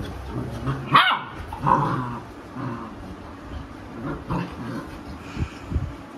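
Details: Labrador Retriever mother scolding misbehaving puppies as they scuffle on a person's lap; two sharp barks early, then scattered growls and short yips, with a woman speaking Hindi.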